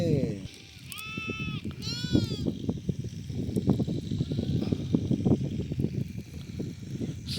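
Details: Sheep under treatment for eye trouble that leaves them unable to see. Early on come two wavering, nasal bleats close together, then people talk steadily in low voices for the rest of the clip.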